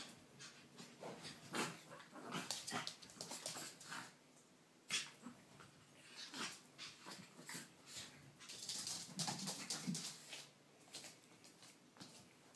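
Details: Dogs at play, more than one: scuffling broadband bursts, short huffs and breathy snorts scattered irregularly throughout, with a few faint whimpers and no clear barking.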